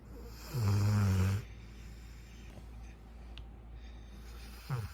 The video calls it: Golden Retriever puppy snores just like an old man